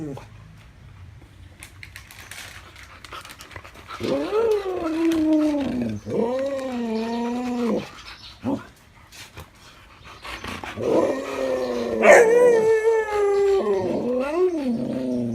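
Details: Siberian Huskies chattering as a snack is offered: several drawn-out arched moaning calls with strong harmonics, one rising into a sharp high squeal, amid soft background handling sounds indoors.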